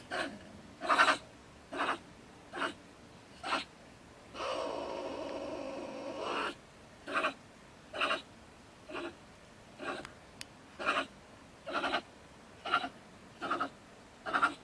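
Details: A bad-tempered female stone marten ranting from her woodpile home beside a shed in Germany at night. Rhythmic rasping huffs repeat about once a second, broken by a longer hoarse, noisy hiss in the middle.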